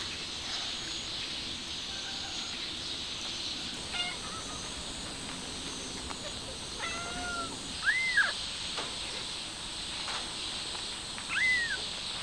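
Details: Stray mother cat trying to take her kitten outside: two short arched mews stand out, later and louder, after fainter thin calls, over a steady high insect buzz outdoors.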